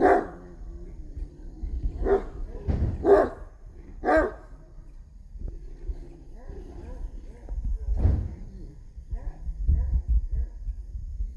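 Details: Street dogs fighting over a female: loud harsh barks burst out near the start and around three and four seconds, then quieter snarling and whining-like growls, with another loud bark near eight seconds and low rumbling background.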